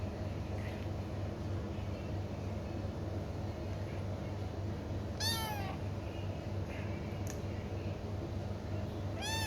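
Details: ['Kitten mewing: two clear, high-pitched meows that rise and fall in a thin arched cry, the second ending the clip, with faint softer mews earlier and a constant low background hum indoors.']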